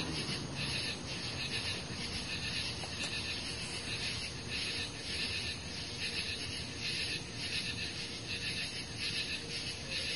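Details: A dense insect chorus on a summer night, 18 July 2013, of high, steady buzzing and trilling, swelling in soft pulses.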